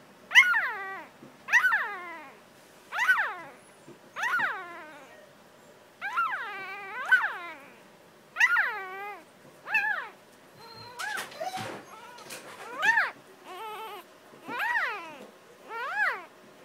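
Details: A vocal six-day-old Jackador puppy gives a long series of high, quavering squeals that rise then fall, repeated roughly every second, with a burst of scuffling handling noise around eleven seconds.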